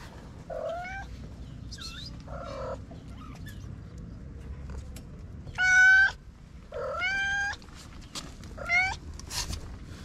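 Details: Feral white mother cat and her four little kittens on the street: repeated short meows, some arched and falling, some high and thin like kitten cries, spaced about a second apart, over a low steady hum.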